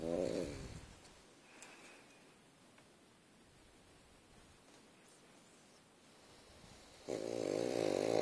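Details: Sleeping pug snoring like a crop-duster plane: a loud, rasping snore burst at the start, a long quiet stretch, then another harsh, buzzing snore building from about seven seconds to the end, indoors.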